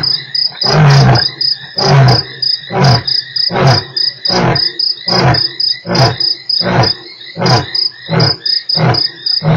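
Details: Lion roaring at Nkorho on 3 March. About eleven deep, breathy grunts sound roughly once a second. Each is a broad, low pulse, and shrill crickets trill steadily throughout.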